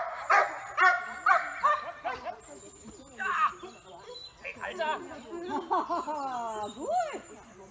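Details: Giant Schnauzer recorded in May 2018: a series of loud, harmonic barks in quick succession, then looser, wavering yelps and whines, with a steady high faint tone in the background.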